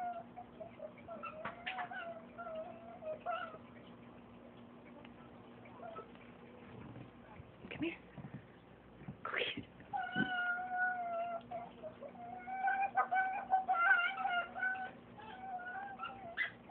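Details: Excited pet fox giving odd vocal noises indoors; thin level whines and a few sharp squeaky bursts, with quieter gaps, over a steady background hum.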